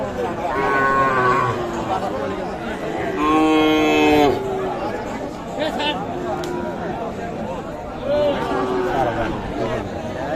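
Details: Sahiwal bull calves and other cattle at the Aftabganj livestock market, Nawabganj, Dinajpur, Bangladesh; several separate moos, one loud and sustained near the middle, over a constant din of crowd voices and bargaining.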